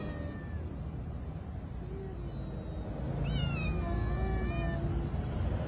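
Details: Hungry stray cats fed on a street at night meow in short rising-and-falling calls near the end, set against a steady low rumble of traffic.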